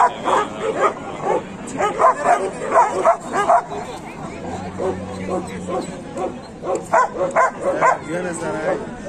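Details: Dogs at a market in Kohat, Pakistan, 28 November 2021, with Pakistani bully dogs and German shepherds present. Rapid yapping barks come in clusters of three or four, then pause, with people talking throughout and a low engine hum midway.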